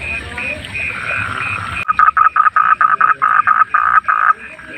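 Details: Wild frog calling at night: after a faint chorus of repeated notes, a close caller breaks in with a rapid train of about a dozen loud, nasal croaks in quick succession.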